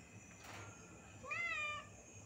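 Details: A cat (biral in Bengali) gives a single clear mewing call, rising then falling in pitch over half a second, after a brief rustle; a woman's voice speaks Bengali nearby.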